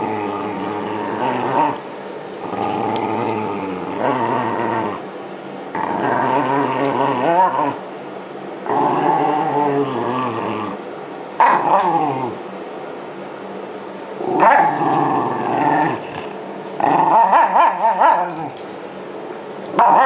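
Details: Shiba Inu named Yamato grumbles while being brushed as it sheds its winter coat near spring 2012. Wavering harmonic growls come in bursts of one to two seconds, separated by short pauses, with brushing rustle between.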